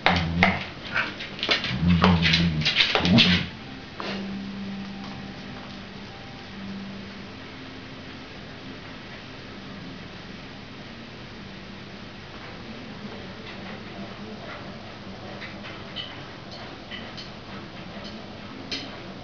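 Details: A female Cardigan Welsh Corgi, excited by light reflections, claps her teeth in a quick burst of sharp, dry clacks, then a low hum follows.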